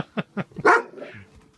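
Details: Playful pet Golden Retriever during a sit command; a few soft short sounds lead into one loud, abrupt bark, with a man's voice nearby.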